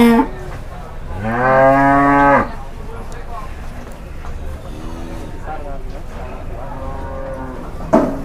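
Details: Agitated, raging cattle in Indonesia, described as leaping about while people get ready to run: one loud, long harmonic bellow in the middle, followed by fainter, shorter moos and background voices.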